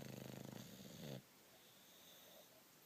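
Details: Sleeping bulldog giving a pulsing, rattling snore that vibrates rapidly for just over a second, then stops into near silence.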